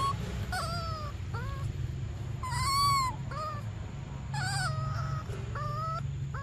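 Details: Baby monkey Briar crying for milk: about six tonal, harmonic-rich cries, some arched, some flat or falling, spaced through the stretch, one louder arched wail near the middle, over a steady low rumbling hum.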